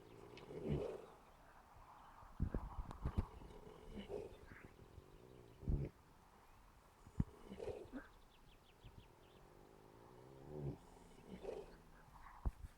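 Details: Ardennes horse asleep in the early morning, snoring in low, rough breaths that recur every one to two seconds, each a soft rumbling swell, with faint outdoor background noise.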